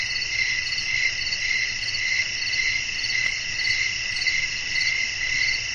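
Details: Night-time cricket chorus with wind in the background: constant shrill ringing tones stacked at several pitches, pulsing gently in regular waves with no pauses.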